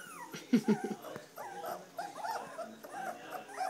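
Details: Standard poodle puppies three weeks old, giving a busy run of thin, squeaky whimpers and yips that rise and fall in short overlapping wavering notes. A few louder low yelps come near the start.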